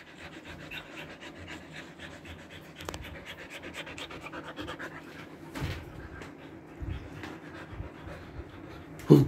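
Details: Siberian Husky, freshly body-trimmed, in summer heat in Kolkata, India, panting in rapid, even breaths that run steadily for about nine seconds, with a short burst of rustling midway and a sharp knock at the very end.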